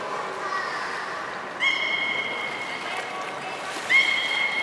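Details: Beluga at Port of Nagoya Public Aquarium during a training session for gastric fluid and blood sampling, January 2019: steady flat whistles with stacked harmonics, one lasting about two seconds, another starting near four seconds, over background voices and water.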